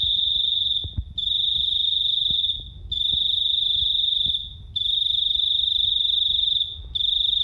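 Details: Small cricket with a very loud, piercing voice: sustained high buzzing trills of one to two seconds broken by short silent gaps, over a quiet low rumble and a few soft clicks.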